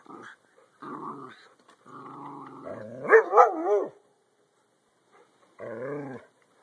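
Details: Jack Russell terriers and Belgian Malinois playing together on a deck: rumbling growls broken by a burst of sharp barks and yelps midway, then a final growling whine, with short pauses between.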